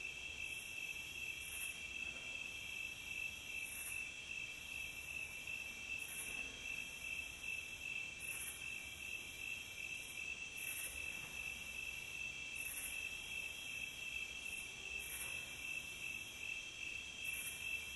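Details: Crickets singing steadily in a relaxing nature recording: an unbroken high, even trill with faint rhythmic brighter bursts about every two seconds, over low quiet ambient noise.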